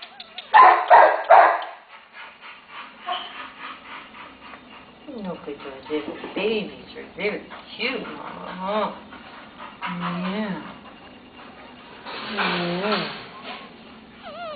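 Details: Terrier mother with her one-day-old puppies, in need of rescue; thin, wavering high whimpers and squeaks rise and fall repeatedly, mixed with a woman's soft, reassuring talk and a louder burst of voice near the start.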